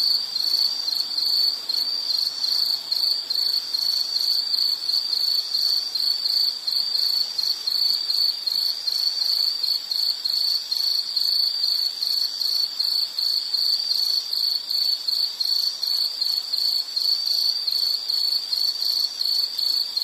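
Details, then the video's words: An insect keeps up a shrill, high-pitched chirping, with pulses repeating rapidly and regularly for twenty seconds at an even loudness. A faint, quiet hiss lies beneath, and there are no other clear sounds. "Sound · Nature Sound of nature sounds scenery L · insect"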